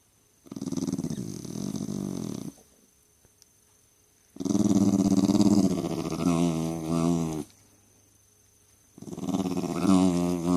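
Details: Pet Jack Russell Terrier at a family home, grumbling nonstop indoors: three long, low, growly moans with a wavering talk-like pitch, separated by short silences, the last ones rising slightly into whiny tones.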